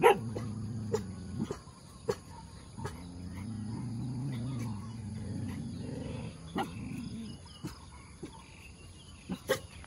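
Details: Good-humoured pet dog wagging its tail, giving low, drawn-out grumbling vocalizations, one short and one long stretch of several seconds, with sharp clicks and taps scattered throughout.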